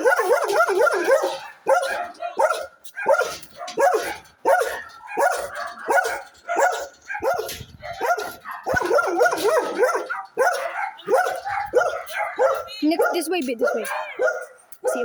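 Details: A pack of dogs barking and yipping nonstop for fifteen seconds, about ninety barks a minute at an uneven pace, mixed with higher squeaky yips and whimpers.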